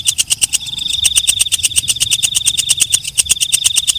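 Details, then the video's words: Katydid known as walang kecek or belalang malam, calling at night: loud, regular clicking bursts, about seven per second, with a faint thin high whine running underneath. "Suara Walang Kecek/ Belalang Malam"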